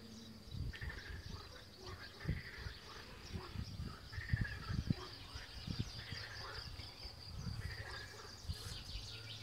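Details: Deep, booming American bullfrog calls throb low beneath a steady high insect-like hum and scattered birdsong, heard from a window at Notre-Dame-des-Dombes; American bullfrog.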